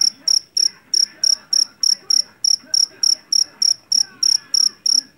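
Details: Field cricket of the Javanese jeliteng kind, caught in a rice field: clear, shrill chirps, each a short trill, spaced roughly every third of a second, with faint murmuring behind.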